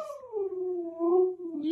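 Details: Siberian Husky kept as a pet, vocalising at home: a lower, wavering howl that sags in pitch, rises briefly, then ends as a short burst of noise cuts in.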